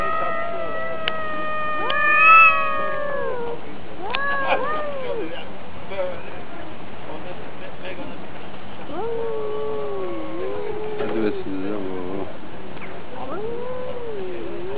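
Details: Fighting cats, one versus another, giving long quavering caterwauls, then short bent wails and a rapid stuttering warble near the eleventh second, with quiet gaps between bursts.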